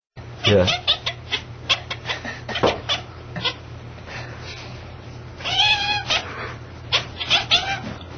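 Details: Cat making unusual bark-like sounds: a series of short, sharp, clipped bursts, some with a brief meow-like tone, clustered near the start and again around the middle, with a low steady hum throughout.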